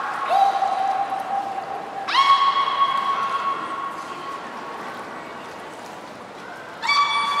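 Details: Beluga Hodoi in training for gastric fluid and blood sampling at Port of Nagoya Public Aquarium, Japan, 6 January 2019; several long, level, buzzy harmonic tones, one low and steady, then higher calls starting abruptly, over hall background noise.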